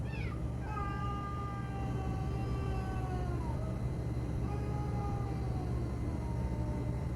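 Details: Domestic cats, described as lovely brothers huddled together: two long, drawn-out meows slide slowly downward in pitch, with a pause between them. A steady low hum and a woman's voice are heard.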